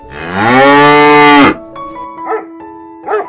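A cow gives one long, loud moo lasting about a second and a half, rising slightly then held steady, followed by a sustained tone and two brief softer sounds.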